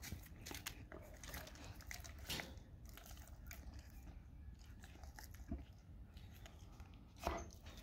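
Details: A dog eats raw cow tongue inside, giving slurping, smacking bites with a few louder crunches spaced several seconds apart over a low background hum.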